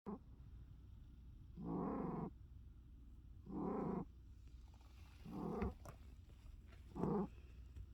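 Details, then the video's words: Umi the cat snoring hard, with rough, buzzy, pulsed snores about every 1.7 seconds, each lasting roughly half a second, over a quiet low hum. "Umi the cat furiously snoring"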